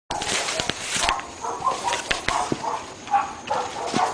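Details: Three dogs barking at home in North Bay Village, heard constantly morning, noon and night; sharp, harmonic barks come in quick bursts, densest in the first second, then spaced about every half second.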